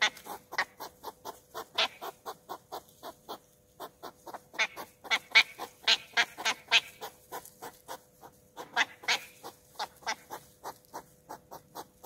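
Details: Loud courtship of West European hedgehogs, Olomouc, 2 July 2019: rhythmic puffing snorts repeated roughly twice a second in uneven runs, a brief pause near four seconds, then louder clustered huffs.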